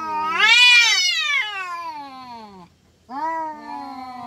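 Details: Fighting village cats in Indonesia give drawn-out yowls. A loud rising wail peaks near half a second, then slides slowly downward, and a shorter, lower moan follows a brief gap.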